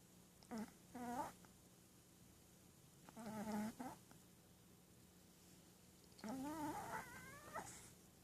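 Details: Sleeping, dreaming Shih Tzu puppy making three thin, whistled snoring whines about every three seconds, each nasal and wavering, the last rising in pitch; otherwise quiet room.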